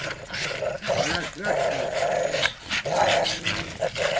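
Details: Father, mother and a pup of the American Staffordshire Terrier breed leap around, producing sustained, grating growls that break off and resume several times, with a human voice murmuring underneath.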